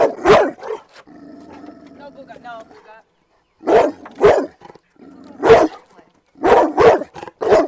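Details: Four-year-old Cane Corso, protective of its owners, barks at a trainer and runs into a barrier fence. Harsh, deep barks come singly and in pairs, broken by a stretch of human speech.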